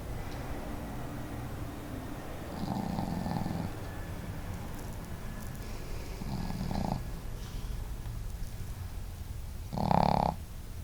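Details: Snoring duet of two house dogs, the female Marimo snoring boldly and Daigoro more quietly; three rough, throaty snores spaced a few seconds apart, the last one loudest and sharpest, with a faint room hum underneath.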